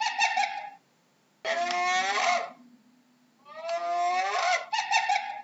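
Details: A hyena gives nasal, harmonic calls about a second long, some buzzy and others bending upward in pitch, separated by short silent gaps in a quiet setting.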